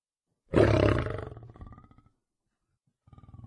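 A lion gives a deep, rough roar that bursts out loudly and fades into grunts, then starts again.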